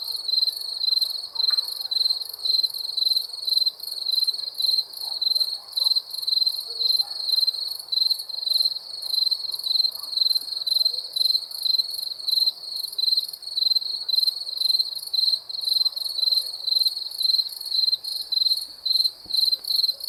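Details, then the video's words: Night-time cricket chorus, a bright sharp chirping repeated in rapid pulsing bursts about twice per second, continuous and even, over a faint low hum of background noise. "Crickets chirping sounds"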